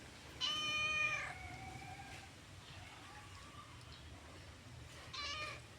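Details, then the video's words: Orange domestic cat meowing: a strong, clear meow at the start that fades into a softer tail, a faint short meow in the middle, then a brief second meow near the end over low background hum. "The sound of the orange cat"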